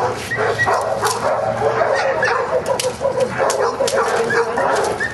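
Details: Giant Schnauzer named Luther in Schutzhund training on 01-31-09, working in prey; a dense run of quick, sharp vocal bursts and whiny yelps continues almost without pause, with handlers' voices faintly underneath.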